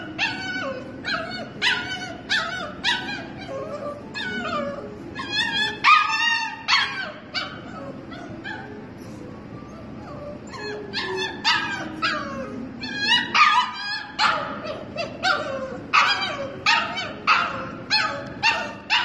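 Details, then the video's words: Young husky puppy kept behind a gate at a dog daycare, too young to play with the big dogs. She gives high whines and sharp yips in repeated bursts, with a long drawn-out falling whine near the middle. "Puppy husky whining."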